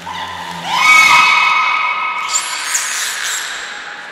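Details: Captive beluga Niko training at Port of Nagoya Public Aquarium, February 25, 2024. A low tone sweeps sharply upward into a loud, rich harmonic squeal that holds steady and fades, with brief higher chirps near the end.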